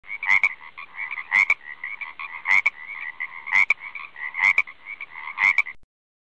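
A frog croaks in a steady series, loud rasping notes coming about once a second.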